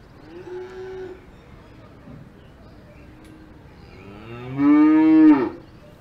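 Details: Cows on a farm in the Alps: a soft, distant low moo is followed by a loud, long lowing call that rises, holds and then breaks off, with quiet outdoor background between.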